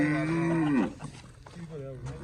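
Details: Jersey Cholistani cross cow, offered for sale, gives one steady, tonal moo of about 0.8 seconds that bends downward and breaks off. Quieter rustling and faint low noises follow.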